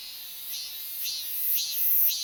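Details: Robust cicada singing: shrill, high buzzy pulses that swell about twice a second and grow steadily louder, over a faint hiss. This species sings in cool places and is said to be disappearing from southern regions.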